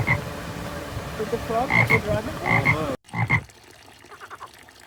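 A frog croaks in short, throaty bursts with a bright nasal edge, in uneven bouts.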